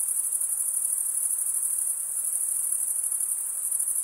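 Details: A dense, constant, very high trill comes from crickets stridulating with their wings; the tone barely wavers, slightly throbbing, with nothing else audible beneath it.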